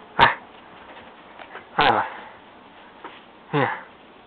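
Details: Nico, a pet dog described as a restless whirlwind that keeps biting everything, gives three short barks roughly every one and a half seconds, each harmonic and falling in pitch, with faint indoor chatter and small noises between.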